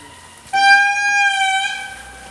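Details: An indri in Andasibe-Mantadia National Park, Madagascar, in 2016, gives a single loud, sustained, horn-like wail, holding nearly one pitch for over a second; a baby indri is sighted nearby.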